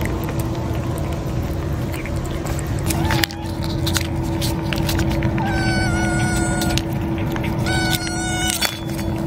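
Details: Kittens with American Shorthair-style tabby markings, huddled against their mother cat to keep out the cold, being given food: two clear harmonic meows, the second shorter, over a steady low mechanical hum with scattered clicks.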